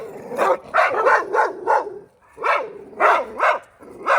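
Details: A neighbor's dog, recorded close up on 14 January 2024, gives a steady run of sharp, mid-pitched barks, about two per second, with a brief gap midway.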